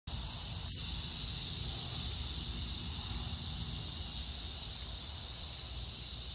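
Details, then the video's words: Cicadas droning on a summer evening stroll, August 4th, in fading light: a steady, unbroken high buzzing hiss that runs the whole time over a low rumble of wind or distant traffic. "Evening Cicada Song Stroll"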